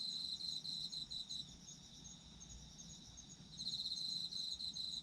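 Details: High, pulsing insect trill from autumn insects fades out after about a second and a half, leaving only a steady shrill ringing chorus, then starts again strongly around three and a half seconds in and carries to the end.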